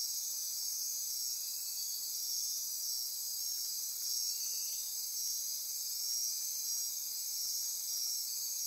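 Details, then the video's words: Midnight rainforest chorus of insects on Costa Rica's Osa Peninsula near Corcovado: unbroken piercing trills and buzzes at several high pitches, a faint ratcheting pulse woven through, level steady throughout. "Midnight Insect Chorus"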